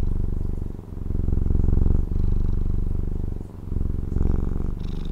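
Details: Domestic cat in Taiwan purring steadily, a low rumbling throb that swells and fades with each breath roughly every 1.3 seconds, with brief quiet dips between inhalations and exhalations.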